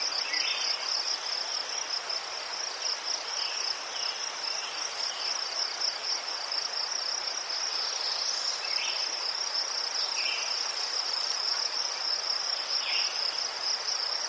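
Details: A continuous high-pitched cricket trill from Ukraine among chrysanthemums, even and unbroken, with scattered brief lower chirps now and then in the background.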